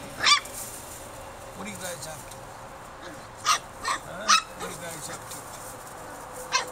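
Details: Four-week-old Norwegian Elkhound puppies, which began walking about a week earlier, give a few sharp, high yips and squeaks, scattered irregularly, with faint low whines and a soft indoor hiss behind.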